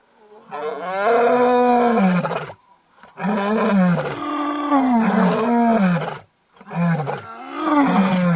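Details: White lion, a male, attacking his cubs' mother in Kruger National Park, South Africa, near Satara Rest Camp after days of mating with another lioness; loud, sustained, wavering snarl-roars in three long bouts broken by brief silences.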